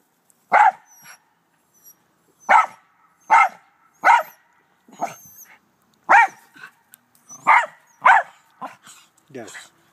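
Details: Back-yard barking from Doe, a black terrier kept with two white Rat Terriers: loud, irregular barks roughly every one to two seconds, each trailed by softer grunts, with short high squeaks between.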